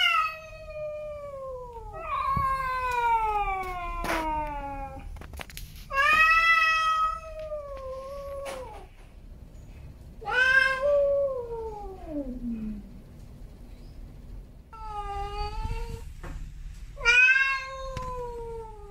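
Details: Snowy and Milo, male domestic cats, give a series of six long meows, some wavering and bending upward before falling away, others steady and clipped, with short pauses and faint clicks between calls.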